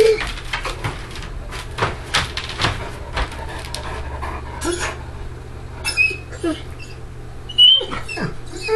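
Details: Great Dane Ghost, indoors, prying his crate latch with his mouth to escape; repeated metallic clatter and rattling, then short high-pitched whimpers and a rising whine in the last few seconds.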